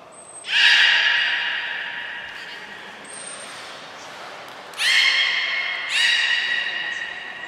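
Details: At Port of Nagoya Public Aquarium, 5 June 2021, the belugas Hodoi, Gray, Nana and Niko are trained. Two brief thin high whistles mark the session, and three strong nasal squeals with stacked overtones sound, the first long and fading, then two shorter ones.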